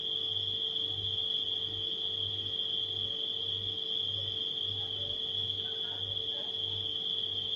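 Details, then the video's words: Crickets singing at night in one constant, piercing trill that never pauses, over the low rhythmic humming of a refrigerator, with faint brief higher flickers near the end. "Crickets & Refrigerator Humming Sound"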